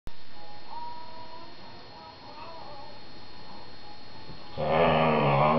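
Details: Whippet talking to his younger sister, four months old, while the two play together on their sofa; faint thin whining tones early on, then a loud, rough, harmonic groaning burst filling the final second.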